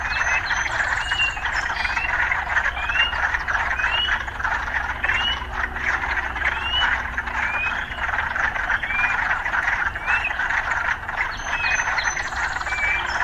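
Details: Urban frogs calling, mixed with occasional sounds of urban life: a dense, steady croaking chorus, with short upward-slurred whistled notes rising above it every second or so, over a low background rumble.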